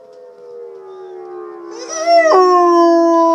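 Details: Dog howls over tornado sirens in the background; a low steady siren tone runs throughout as the dog's howl enters, rises sharply, and holds strong to the end.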